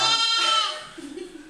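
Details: Small disabled goat bleating: a loud, harmonic, slightly wavering bleat of about half a second that fades away, followed by a faint low murmur.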